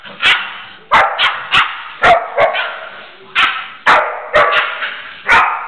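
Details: Pitbull puppy playfully barking and jumping at the female dog Jana while she plays with it carefully; rapid sharp barks, often in pairs, repeated steadily across the whole stretch.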